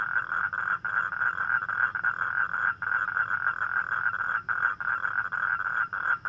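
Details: A toad calls at night, a steady, buzzy trill held almost without pause and broken only by brief gaps; toads call on rainy nights to attract mates.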